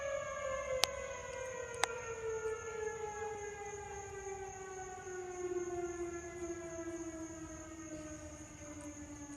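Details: A fire engine siren wails and slowly falls in pitch, with a steady high whine and two sharp clicks, and no animal sound heard.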